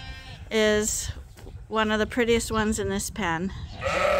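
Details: Morning on Ewetopia Farms as sheep wait at the gate for pasture. A rapid run of short, quavering bleats follows one another closely, with farmyard background between calls.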